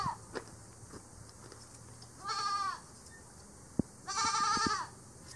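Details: Angora goats at a farm, held on a stand during hand shearing with scissors, head and neck shorn first; two wavering, nasal bleats rise then fall, about two seconds apart, over a faint steady background hum and soft handling noises.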